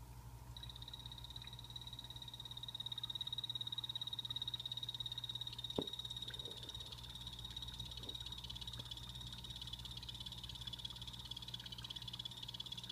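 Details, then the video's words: Pet blue-bellied poison frogs calling inside a planted vivarium: a loud, continuous high buzzy trill running through the whole recording, with a few soft knocks and a low background hum. "Sound Of Poison Dart Frogs Calling (hyloxalus azureiventris)"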